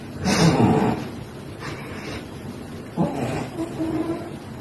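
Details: Sleeping cat breathing noisily, with repeated hoarse, airy snores about every one to two seconds, alternating louder and softer breaths.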